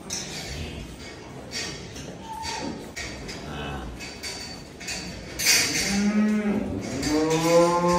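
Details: Cattle at a large farm collection in Dhaka, Bangladesh, offered for Qurbani Eid 2024. A single drawn-out moo rises near the end, over steady clattering, knocking and background chatter.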